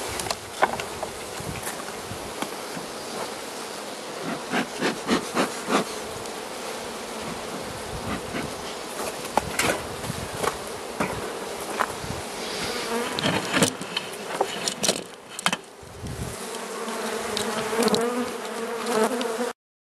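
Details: Carniolan honey bee hive in southern Finland, 16 March 2017, outside temperature +3 C, opened for feeding by the Mountain Camp method: a steady low droning hum with overtones, broken by sharp knocks and clicks of handling, hum swelling near the end.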